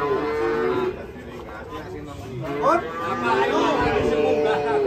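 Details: Cattle rampaging while being unloaded from a truck, ending up in a ditch. A low, sustained moo at the start, then a brief gap filled with voices, followed by another drawn-out lowing amid crowd chatter.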